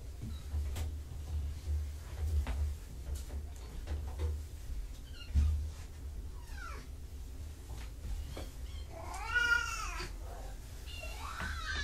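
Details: Two relieved kittens leaving their carrier to check out a familiar room, one giving a few short mews then a loud, long, wavering meow near the end, followed by another rising call, amid rustling and a person's voice.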